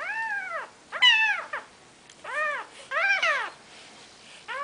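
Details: Four-day-old Maine Coon kittens from Nikita's litter mewing indoors: four loud, bowed, harmonic-rich cries about a second apart, one sharper and higher than the rest, then a fifth cry beginning.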